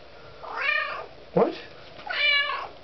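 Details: A hungry pet kitten, female and very vocal at feeding time, gives two drawn-out, bending meows about one and a half seconds apart, with a sharp knock or word between them inside a room.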